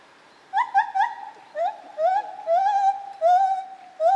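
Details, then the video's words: White-handed (lar) gibbon in Zoo Opole, 2015, giving a rapid sequence of loud wavering hoots, first quick repeated notes then longer sliding ones rising and falling, in a clear resonant series. "Lar Gibbon - Gibon Białoręki"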